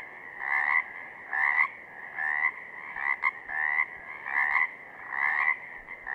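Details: Southern Oregon Pacific chorus frogs: loud, grating two-note croaks that rise at the end, repeated in bursts about every second, with a couple of faint clicks between calls.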